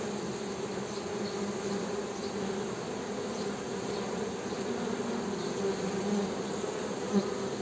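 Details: Steady buzzing hum of honey bees, an unbroken low drone with a brief louder tick near the end.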